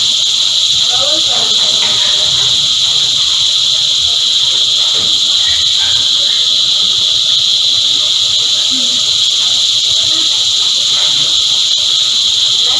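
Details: A dense cicada choir: a loud, continuous, steady buzzing drone with no breaks, layered in bands at several high pitches throughout, with faint low background sounds beneath.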